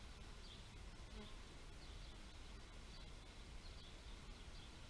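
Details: Bees give a thick, low, even hum, with a brief nearer buzz at about one second and light high chirps repeating in the background.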